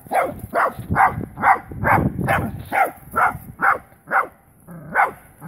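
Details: First encounter between a wire-haired dachshund and a live wild boar; the dog gives a quick train of rough barks about two per second, slowing slightly toward the end.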